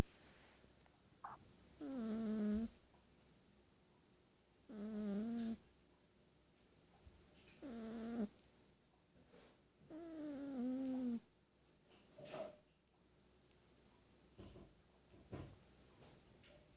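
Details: Domestic cat asleep and snoring, with five nasal, buzzy snores that dip and level off, spaced roughly every three seconds, followed by softer, fainter breaths in a quiet room.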